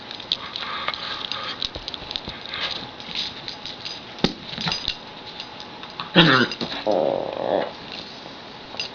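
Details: Dexter, a pet dog, makes his funny noise, the one he uses when he wants whatever Brandy has, such as a toy or bone; a sweeping harmonic cry flows into a steady whining tone near the end, with talking and clatter indoors.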